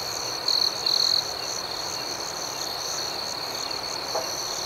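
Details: Crickets at night outdoors: two short, loud, buzzy trills in the first second stand out against an even, shrill chorus of chirping that carries on to the end.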